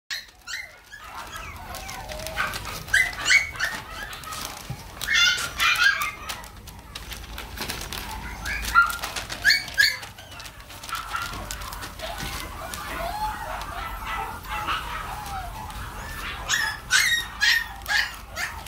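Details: Mixed-breed dog, offered for viewing until September 20, giving high-pitched squeaky yelps and whines in short irregular bursts, some louder peaks near the middle and end, with sharp clicks and rustling handling noises throughout.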